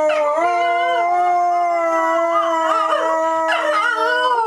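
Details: Dogs howl together on opening day in Dodger Valley, several overlapping sustained tones held steady with rich harmonics, one voice wavering and sliding up and down, loud and continuous throughout.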